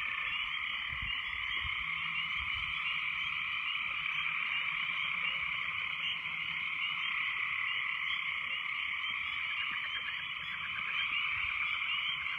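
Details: Many frogs in full, very loud chorus after heavy rains, countless overlapping pulsed croaks merging into a constant shrill drone; a few faint lower knocks sound near the start, and the chorus stays steady throughout.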